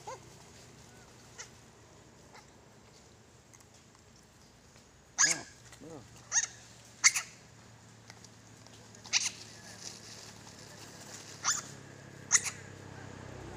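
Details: Monkey giving short, harsh calls: about seven sharp bursts spread between five and thirteen seconds. Some have curved, tonal overtones and others are clicky. A steady low hum runs underneath.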